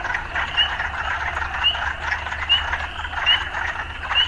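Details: Frogs amid urban life: short upward chirps come about once a second against a buzzing chorus, with a steady low hum underneath.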